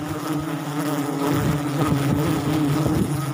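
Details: Forest honey bees around their wild sialang tree nest in South Sumatra while honey is harvested, producing a thick, unbroken droning hum that swells slightly midway.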